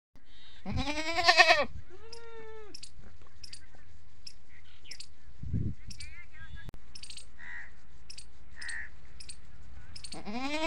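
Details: Farmed goats in the early morning, hungry, an adult bleating with her kids answering: a loud, harsh, wavering bleat near one second, a thinner higher call after it, faint chirps from small birds in between, and another bleat starting at the end.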